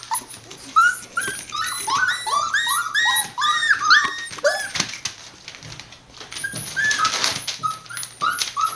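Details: Several Border Collie puppies born on 19 September 2020, recorded on 1 November indoors at a breeder in Hioki, Kagoshima, Japan, giving many high, arched whimpers and squeals in quick overlapping runs, with a steady low hum behind.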